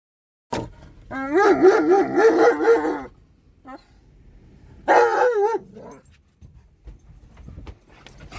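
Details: Alaskan Malamute named Tonka, excited while riding in a car around a park: wavering, warbling howls in two bursts, a long one of about two seconds and a shorter one, with quiet gaps between.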